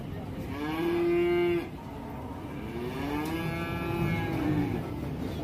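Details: Loose cow running amok and entering a warung, lowing twice: a long steady moo near the start, then a second wavering, slightly rising moo, with faint background music and crowd noise.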